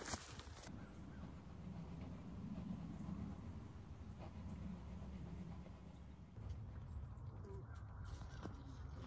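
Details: Western honey bees from a shotgun-damaged hive on a trailer due to be torn down, swarming all over the place after smoke is applied; a low, steady droning hum with rustling and handling noise over it.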